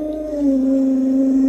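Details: Alaskan Malamute named Luoluo, a pet doted on by grandma, gives a short sustained howl, a steady tone held evenly throughout without breaks, growing louder partway through.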